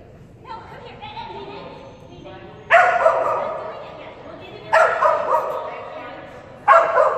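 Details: Female Kerry Blue Terrier at an agility class on 11/12/2019, trained with a toy reward on contact obstacles. A person speaks briefly, then the dog gives three loud, sharp barks about two seconds apart.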